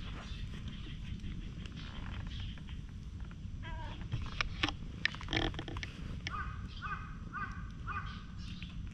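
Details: Stray cats in a neighbourhood colony where fights break out and cats get petted on a bench, filmed with a GoPro HERO8; wavering harmonic yowls repeat several times in the final three seconds over a steady low rumble and scattered clicks.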